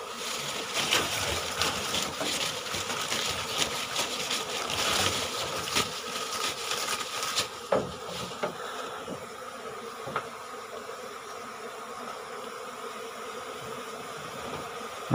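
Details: Asian honey bees (ผึ้งโพรง), a wild colony of five combs being taken from its nest under the roof of a rice-field hut in early June: a dense, continuous swarm hum with crackling handling noise, busier in the first half, then steadier.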